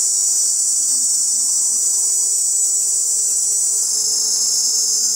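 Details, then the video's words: Tymbal song of male cicadas in a large chorus meant to draw females, a continuous shrill buzzing wall of sound that barely varies, its pitch brightening a little near the end; faint low hum beneath. "cicada sound and video"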